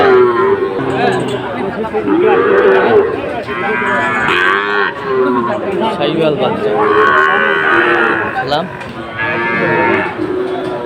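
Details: At a Cumilla cattle market in Bangladesh, 17 August 2024, Sahiwal bull calves give drawn-out, bending moos, with a longer arched call near the start and another loud burst later, amid constant market chatter.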